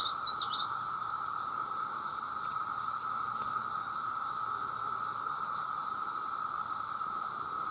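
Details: Huge numbers of male cicadas sing for mates in one constant, flat droning hum and a thin high whine, with short bird chirps at the very start.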